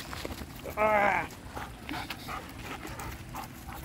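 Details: Taiwan Dog playing energetically with canine friends on a walk: one loud, tonal, harmonic whine lasting about half a second, pitched steady then bending slightly, followed by soft panting, rustling and footsteps while a person talks nearby.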